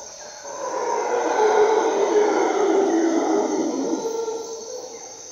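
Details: At dawn in the Costa Rican rainforest, howler monkeys roar in a deep, breathy, swelling chorus, with a steady high insect hum behind.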